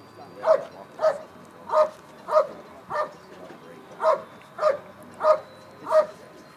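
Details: Working dog in a Schutzhund bark and hold at the 2013 USA Nationals IPO trial: forceful, evenly paced barks roughly every half second, each short and punchy, with light crowd noise underneath.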